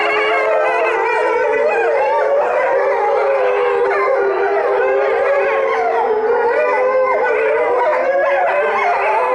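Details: Several Chinese wolves (gray wolf) howl in a dense chorus of long, wavering, rising and falling tones at Tennoji Zoo, Osaka, 23 February 2013, before the howling abruptly stops.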